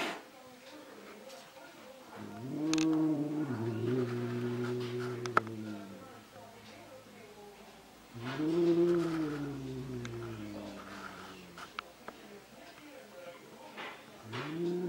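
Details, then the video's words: Angry domestic cat fighting its own reflection in a mirror indoors: two long, low, wavering growl-yowls with rich harmonics, each lasting about three to four seconds, separated by quiet pauses. "Angry Cat Fight with Himself in a Mirror"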